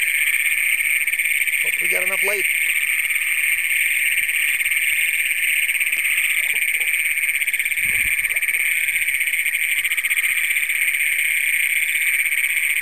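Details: Many Great Plains toads calling at night in a flooded Minnesota cornfield, Brown County, June 27, 2010, on a Canon PowerShot SX100: a steady, very loud high trilling drone throughout, brief human speech early on and a low thump midway.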